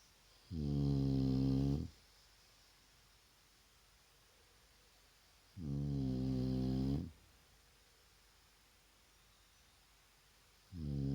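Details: Resting in the daytime, the Shar Pei Vaya gives deep, buzzy snores lasting over a second, recurring about every five seconds against a faint steady background hiss.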